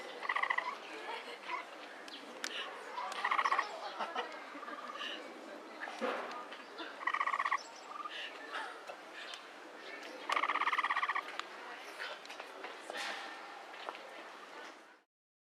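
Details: Short chirring pulse trains, the 'kyuru kyuru' call of a capybara at Inokashira Park Zoo, recorded 19 February 2012, come in irregular bursts, the longest near the end, with clicks and faint background sounds between them.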